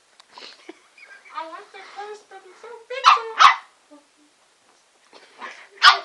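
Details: Bubbles, a female Shih Tzu, gives three sharp, high yipping barks indoors, two close together midway and one at the end, while people talk over and between them.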